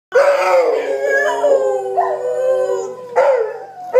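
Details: Dogs howling together in long, sustained, wavering tones. Several voices overlap, with new rising howls starting near the first and third seconds.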